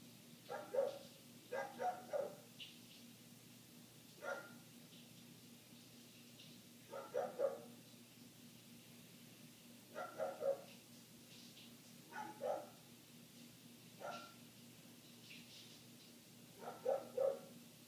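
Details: A neighbour's dog keeps barking, heard from indoors with windows closed; single barks and clusters of two or three come every one to three seconds, irregular, against a low constant hum.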